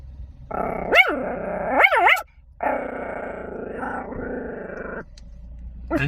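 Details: Chihuahua guarding a car, growling possessively: a long rumbling growl broken by two sharp rising-falling yelps, a short pause, then a steady, slightly wavering growl lasting over two seconds, ending with a brief yip.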